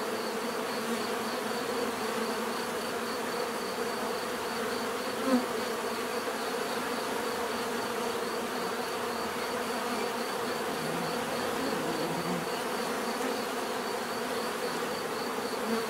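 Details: Long, even bee buzzing, a rich low droning hum from many insects that barely varies, with one brief louder buzz passing close midway and a faint steady high tone.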